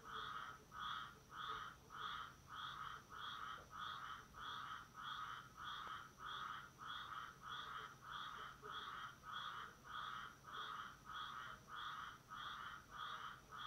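A tree frog gives loud, nasal, honking calls repeated steadily, about one and a half per second.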